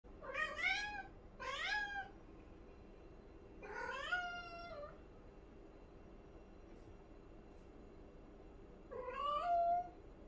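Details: A cat reacting to a flying bug makes four chirpy meows. The first two are short and quick, the third is longer and level-ending, and after a long quiet gap a final drawn-out meow rises at its close. The room is otherwise quiet.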